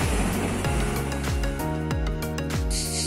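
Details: Loud music with a thumping beat and sustained tones, no animal sounds heard.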